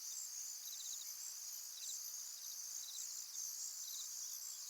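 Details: Crickets by a tranquil pond: a continuous shrill, very high trilling chorus with lower rapid pulsed chirp bursts recurring roughly every second, steady and even throughout with no other clear sounds.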